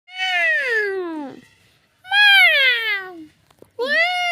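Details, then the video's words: Domestic cat giving three drawn-out meows, each falling in pitch over about a second, the last one rising; clear, close and loud with quiet gaps between. "suara kucing yang menggemeskan"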